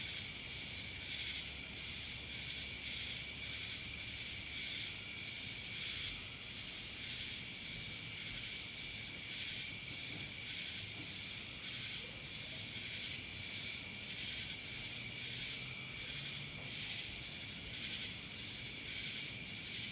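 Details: Dallas, Georgia cicadas keep up an unbroken high-pitched hum, with rhythmic surges of harsh buzzing repeating about every second through the twenty seconds.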